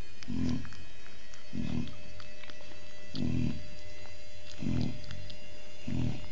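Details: Chow Chow mother Oliwka with her puppies, hungry, indoors; five short low whining cries about every 1.3 seconds, each brief and muffled, with faint background hum.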